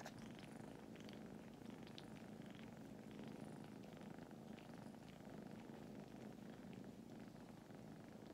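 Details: Continuous low purring from a litter of foster kittens napping on a person in Huntsville, Alabama. The rumble is dense and even, with a few soft rustles.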